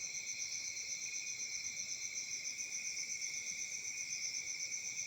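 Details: Crickets chirping on a peaceful summer night in Africa: a steady, high, shrill chorus pulsing about four times per second, with two bright tones layered without a break and no other sounds.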